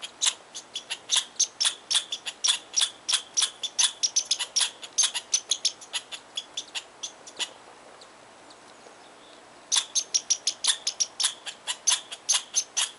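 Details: Angry squirrel in Tahosa Valley scolding a person who came too close to its tree, very vocal. Sharp, dry broadband chips fire rapidly in long runs for about seven seconds, stop for two seconds, then resume just as fast.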